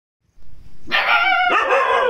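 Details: Aggressive 45-day-old Chippiparai puppy letting out a high, harmonic, strained yelping bark in two joined bursts, the second rougher and broader, lasting over a second after a brief quiet start.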